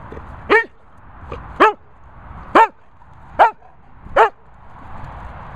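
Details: Sprocker spaniel named Barney barking five times in about five seconds, each bark short and sharp with stacked harmonics, quiet pauses between them and a faint low murmur of background noise.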